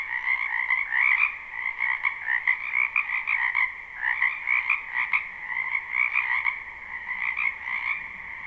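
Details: Dense spring frog chorus from a wetland behind a home, live and unlooped: overlapping trilled, buzzing croaks in a steady high drone, punctuated by louder bursts from nearer callers every second or two.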